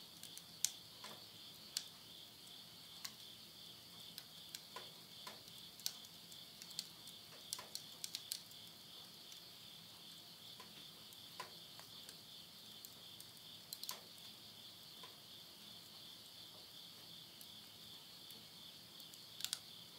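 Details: Midnight insect voices in rural Yurihama, Tottori, Japan, late summer, September 2020: an unbroken shrill trilling hum holds throughout, while burning wood in a nearby stove snaps and crackles irregularly.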